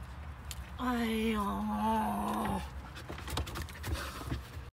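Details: Samoyed puppy Whiskey protesting about going home with one drawn-out, wavering vocal moan lasting about a second and a half, followed by softer background sounds and faint speech.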